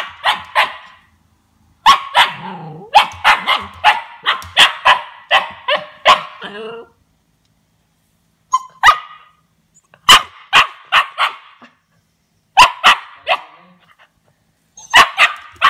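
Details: Young Siberian Husky puppy, aged two months, responding to its first taste of lemon with rapid bursts of shrill yapping barks, a long pause in the middle, then further clusters of sharp yips.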